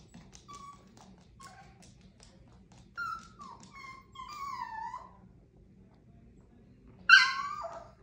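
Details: Whining Chihuahua named Rosie: scattered brief high whimpers, then longer sliding whines that dip downward, a pause, and one sudden louder yip at the end, with a low hum in the room.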